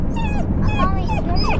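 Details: Young Australian Shepherd puppy, twelve weeks old, on its first day home and meeting another dog, a Shiba Inu: a run of whiny, falling whimpers, about four or five, over a steady low indoor hum.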